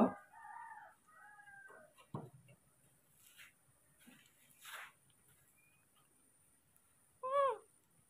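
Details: Baby monkeys Moni and Mino, hand-raised rescues, excited as morning milk time arrives: a few high, tonal, arching cries with clear overtones in the first two seconds, one more sharp rising-falling cry near the end, quiet rustles between.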